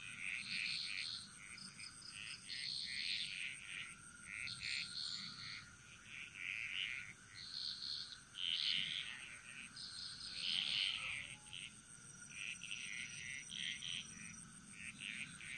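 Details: Jungle frog chorus on Bali, Indonesia: many frogs give short bursts of high, rattling pulsed calls, roughly every two seconds and irregular, over a constant thin insect hum.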